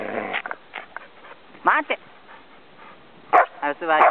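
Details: Samoyed named Gomaru at the Shobudani Pond Park campsite, teasing its owner: short bursts of bright, harmonic whining yips and warbling woo-woo sounds with quiet gaps between them, mixed with human speech.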